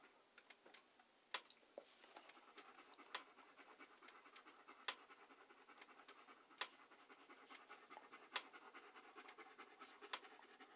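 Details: Close, intimate dog panting: hoarse breathy puffs repeated in an uneven rhythm, punctuated by bright wet clicks. The setting is otherwise silent.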